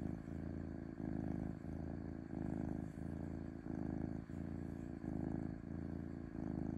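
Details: Gentle, cozy purr of a domestic cat: a steady low buzzing rumble pulsing in regular in-and-out breath phases of roughly three-quarters of a second each, continuous throughout, with nothing else audible.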